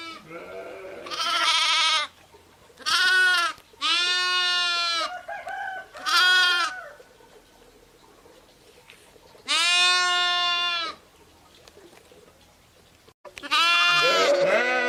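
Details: Several sheep, ewes and lambs, bleat in turn: a run of four quavering calls in quick succession, a softer murmur, then two more long loud bleats after a pause.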